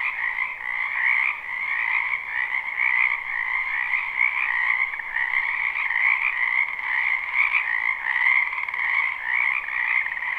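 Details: Frogs calling in a spring wetland behind a house, recorded live at night for sleep: a dense, continuous chorus of overlapping trills and croaks forming steady bands, mid and high, with no pauses.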